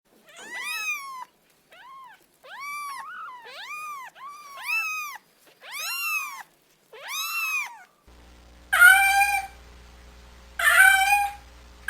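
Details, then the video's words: Domestic cat calls meant to lure cats out of cars and tight spaces: a run of about eight short, arched, harmonic-rich meows, then two louder, harsher drawn meows over a low steady hum. "أصوات قطط تساعد على استخراج القطط من داخل السيارات و الأماكن الضيقه"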